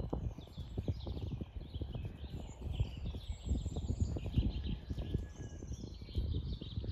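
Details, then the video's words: Domestic cat purring close by, met at the end of a walk through an orchard on a regenerative farm in County Kilkenny, Ireland; steady low rumbling purr of rapid throbbing pulses throughout, with faint birdsong high above. "a purring cat"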